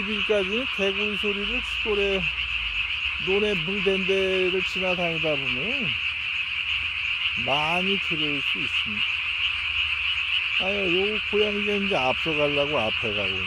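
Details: At night on 3 May 2020, a Japanese tree frog with its throat sac swollen as large as its body gives repeated rasping croaks in quick runs, with upward and downward swooping notes between them and a constant shrill drone behind.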